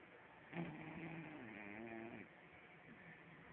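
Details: Snoring from Arrow, a French Bulldog, as it sleeps: one rasping, low-pitched snore of roughly a second and a half, then soft breathing in a quiet room.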